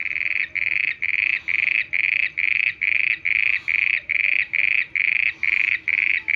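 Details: At night, a frog repeats a high, buzzy note over and over, about twice a second.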